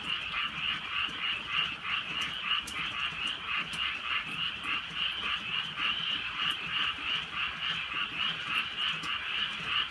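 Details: Many frogs croaking together on a rainy rural night, their harsh trilled calls forming an unbroken pulsing wall of sound, punctuated by a few bright raindrop clicks.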